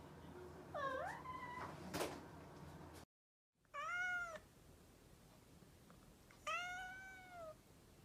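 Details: A mischievous domestic cat meows three times: one bending, rising meow, a sharp knock, a brief silence, then two arched, even meows a couple of seconds apart.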